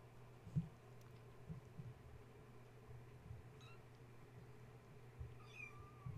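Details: Kittens of the cat Gaia, woken at bedtime when a space heater was plugged in, then climbing and playing around their mother; a faint thin kitten meow near the end, with a brief earlier squeak, over a steady low hum and soft knocks.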